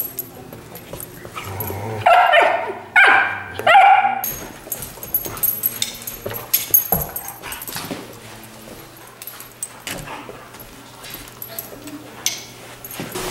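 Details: A female Chesapeake Bay Retriever puppy named Willow lets out a quick cluster of bright barks and yips early on. Softer rustling and faint household noise continue through the rest of the stretch.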